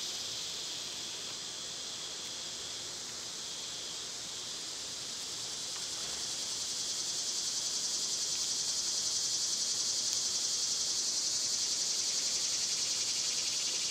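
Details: Summer cicada chorus: a continuous hissing, high-pitched drone with a fine rapid pulse, fairly even at first, then growing noticeably louder from about seven seconds and staying intense.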